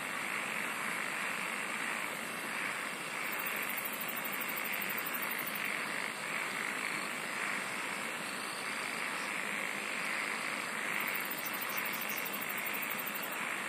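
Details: Continuous insect chorus, thick and hissing, with a throbbing mid-pitch band and two separate runs of shrill, finely pulsed trilling high above, one near the start and one near the end.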